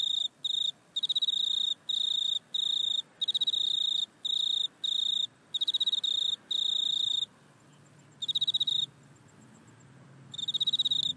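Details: Insect sound recorded in a back yard on an iPhone, linked to a grasshopper: bright, high buzzy chirp bursts in quick irregular runs, separated by short silences, with a longer pause before the final bursts.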